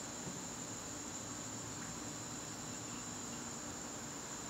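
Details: Evening cricket chorus from a garden in September, an even, shrill, unbroken trill over a quiet bed of low background rumble.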